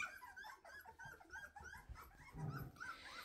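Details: Weimaraner puppies, two and a half weeks old with newly opened eyes, running after their mother asking to nurse indoors; a rapid series of short, high squeaky whimpers, several overlapping, with low rumbling thumps near the end.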